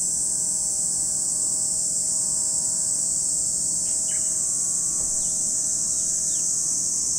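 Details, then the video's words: Cicadas calling at Lake Kamo in Sado City, Niigata Prefecture, Japan: a steady, unbroken high-pitched hiss-like drone fills the air, with a few brief faint bird chirps near the end. "Lake Kamo in Sado City, Niigata Prefecture, Japan, where you can hear the voice of cicadas."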